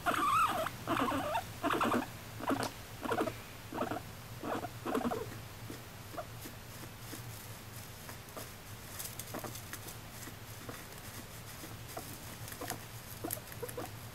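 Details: Female house guinea pig Moru-chan, taken in at eighteen months old in May 2019, makes a string of evenly spaced bursts for about five seconds. Quieter, sparse clicks and a low background hum follow.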